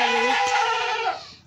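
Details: Goat bleat recorded on a goat farm at kidding time: one strong, nasal, harmonic call lasting about a second, its pitch stepping up early, then fading away.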